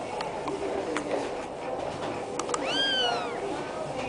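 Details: A single thin, arched mew from a black kitten near the end, preceded by faint clicks and soft handling noises over a steady background hum.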